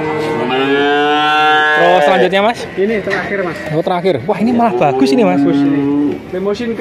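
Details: Male calves at Grabag in Magelang regency, nineteen head bought as one lot, start with a long level moo, then a rush of short choppy calls from several animals, ending on a steady held note.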